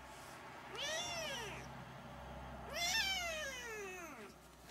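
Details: Siamese kittens three weeks old mewing: two drawn-out, arched calls with rich harmonics, rising then falling, about two seconds apart, over a faint low hum.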